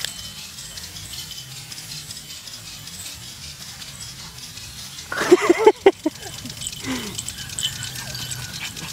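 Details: A Shiba Inu racing around at full speed lets out a sudden burst of high, yelping yips, then a short falling whine.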